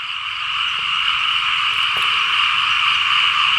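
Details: Many frogs croaking together across flooded Lao fields during rain, a thick steady chorus of fast repeated croaks, loud and continuous with no pauses.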